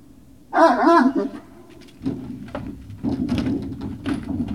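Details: Great Dane puppies at Puppy Hill, evening of 19 February 2019 around 19:45: one clear wavering, whining cry with stacked harmonics lasting under a second, followed by indoor knocking, door-like clatter and faint voices.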